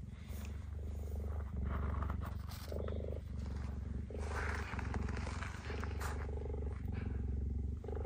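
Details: Captive cheetah Gerda voicing displeasure toward male cheetah Messi, who encroached on her enclosure territory; low throbbing pulsed rumble repeating roughly four times a second, steady throughout with slight pauses.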